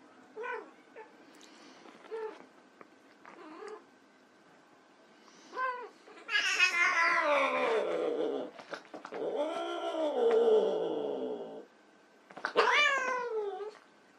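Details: White Persian kittens playing, several short meows followed by loud, drawn-out wailing cries that slide downward, then a final strong meow; busy, overlapping calls in a small indoor space.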